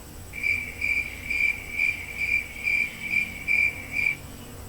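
A cricket chirps in a steady series of short, high, pure-toned pulses, about two to three each second, against a quiet background.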